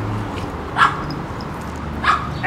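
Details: Playful house dogs from an Akron, Ohio home breeder give two quick, high yelping barks roughly a second apart, with muffled background room noise between them.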